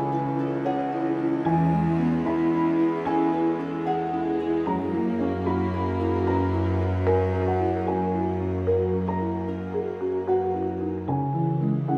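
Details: Gentle new-age music with sustained low tones and soft plucked notes. No animal sounds can be heard.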